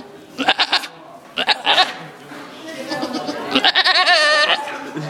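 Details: Goat at an adventure farm, bleating in short pulsed bursts, then a longer wavering, quavering bleat near the end; people talking nearby.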